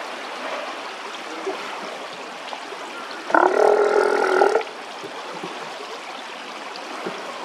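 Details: Steller sea lion named Teppei heard in the evening: one loud harmonic roaring call lasting just over a second, with stacked bands, set against steady running water throughout.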